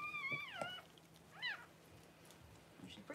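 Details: Newborn Cavalier King Charles Spaniel puppy during the home whelping of Paris's first puppies, January 1: two thin, high-pitched squealing cries that bend downward in pitch, the first long and wavering, the second short, with faint room noise.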